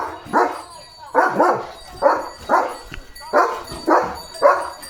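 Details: Just after his bath, Leo the German Shepherd goes on alert duty, letting out seven deep, hoarse barks spaced roughly 0.6 to 1 second apart.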